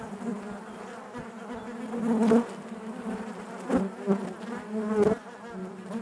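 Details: Hive interior full of honey bees: an even buzzing drone with stacked harmonics, punctuated by brief louder whirring surges near two, nearly four and five seconds, as individual bees pass close.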